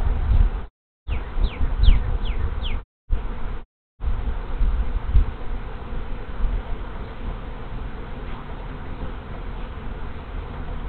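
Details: Large honey bee swarm arriving at a hive in March 2023; continuous low, rough buzzing drone of many wings with short dropouts early on and faint high chirps in the background.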